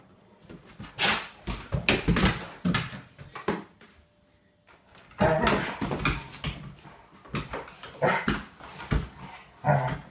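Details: Two Rhodesian Ridgebacks, Lola and Charlie, playing boisterously indoors and trashing the place: irregular bursts of rough, noisy growls and yelps mixed with thumps and scuffling, with a brief lull near the middle.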